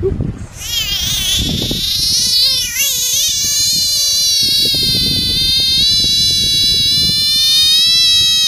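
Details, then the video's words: Frog screaming: a loud, sustained harmonic wail with stacked tones, starting high and wavering, then settling into a long, steady, slightly falling cry lasting several seconds, with rough background noise underneath. "Screaming Frogs"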